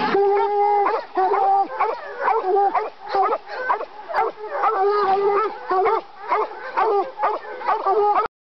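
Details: Young coonhound pup in North Carolina, never hunted before, being fired up on a caged raccoon: continuous loud, drawn-out bawling bays with ringing harmonics, repeated roughly every half second to second with brief gaps throughout.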